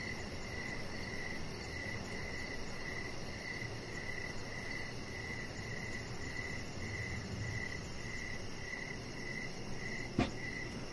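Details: Outdoor evening crickets near a deck with a chihuahua puppy; a fainter, more continuous high trill runs under low rumbling noise, with a single sharp knock near the end.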